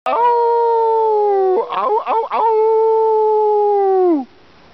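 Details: Dog howling at the supermoon in the evening, briefly joined by a female. A long, steady, clear howl breaks into a few short wavering yelps, then returns to a long sustained tone that slides downward at the end.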